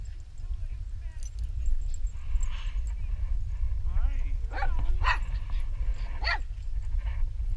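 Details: Dog at a dog park making a strange sound: a few high, wavering whining yips near the middle, rising and falling in pitch, over a heavy, constant low rumble and faint background voices.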